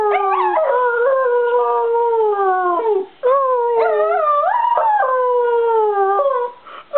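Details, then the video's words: Bichon Frise howling in song, near-continuous wavering tones that slide up and down in pitch, with one brief break midway and quieter breathy sounds at the end. "singing Bichon"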